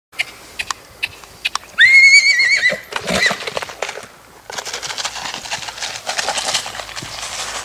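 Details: Black purebred Lusitano filly, six months old, whinnies once: a loud, quavering, high neigh that wavers and falls slightly over about a second. Scattered clicks and shuffling noises come before it, and rustling and handling sounds follow.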